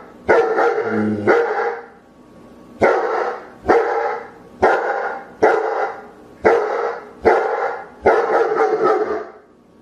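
A German Shepherd barks loudly in deep, harsh single woofs, about one every second.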